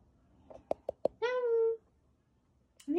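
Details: A rescued, weakened kitten, one of a pair found huddled together after a family funeral, gives one level, drawn-out meow of about half a second, preceded by a few sharp clicks and followed by a brief start of speech.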